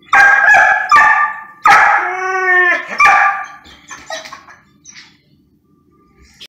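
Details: Pet poodle pleading for food and pretending to be starving; four strong tonal yelping whines, one long drawn-out wail near the middle, then softer whimpers fading to quiet.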